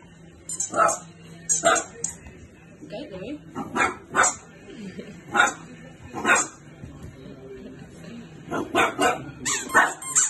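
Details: A French Bulldog barks at a balloon with a squeaky toy in his mouth, giving short, muffled barks in uneven bursts, with a person speaking briefly.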